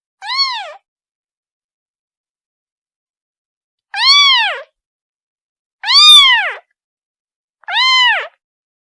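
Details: A kitten calling its mother gives one short meow, then a pause of three seconds before three stronger arching meows in quick succession; otherwise quiet.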